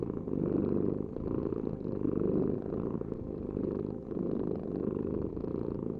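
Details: Deep, rolling cat purr pulsing in loud and softer phases about every one and a half seconds, following the animal's breathing.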